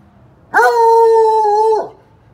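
A Bluetick Coonhound gives one long, mournful bay that holds a steady pitch before dropping away.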